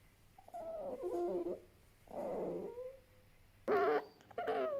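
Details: Fennec fox making soft, wavering whining calls in four bursts, mid-pitched and nasal, the last two louder and more tense, over a quiet background.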